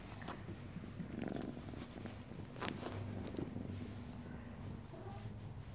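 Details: Happy kitten purring in a small room in the morning; a low continuous rumble throughout, overlaid by scattered clicks, rustling and handling noises.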